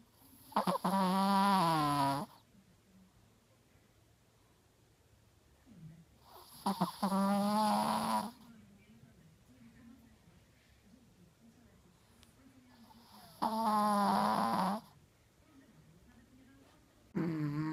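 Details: An overweight Chihuahua snores loudly while asleep, each rasping breath lasting about two seconds and repeating every six seconds.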